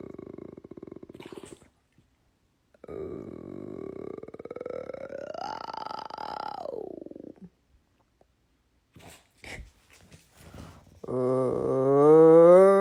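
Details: Weird noise from a pet bulldog in the USA: a low rattling rumble, then a long droning groan that rises in pitch, holds, and drops away, with scattered snuffles afterward and a steady humming tone at the end.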